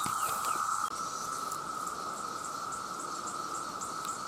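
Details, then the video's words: Male cicadas in huge numbers, calling to attract females, produce a sustained droning tone joined by a quick, regular high pulsing, several beats a second, with a short knock near the start. "The Sound of The Cicada"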